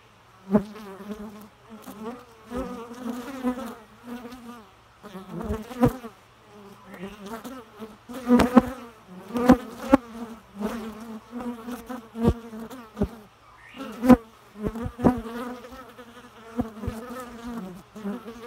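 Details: Bee buzzing almost continuously, a loud wavering hum rising and dipping in pitch as it moves, broken by brief pauses and sharp clicking knocks.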